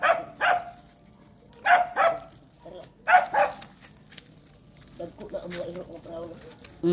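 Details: Pet dogs in the Philippine countryside, barking while being trained: sharp, ringing barks in pairs and triplets, three bursts across seven seconds, with quiet pauses between and soft human voices near the end.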